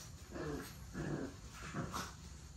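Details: Puppies from an active litter playing and play-fighting, giving low rumbling growls in short bursts of about half a second, three or four times over a couple of seconds, quiet and close.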